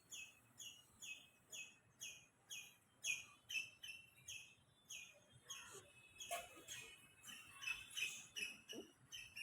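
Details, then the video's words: Squirrel calling from a tree: a rapid run of short, high chirps, each slurring downward, about two per second, growing jumbled and overlaid with scratchy rustling noise in the second half. "खारुताई बगा कशी झाडावरती ओरडत आहे."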